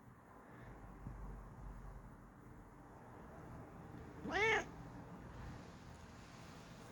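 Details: Bengal cat being relaxed, letting out a single short, clear meow midway through an otherwise quiet indoor stretch with a low background murmur.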